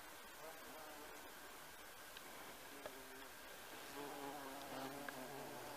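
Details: A bumblebee on honeysuckle in a garden gives a low, droning buzz that rises and falls as it moves about.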